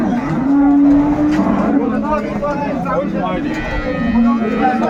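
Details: Improved-breed dairy cows with calves at Ambari cattle market, Dinajpur, Bangladesh, on 29 April 2024: a steady, low, level moo lasting about a second near the start, over busy market chatter and people's voices throughout.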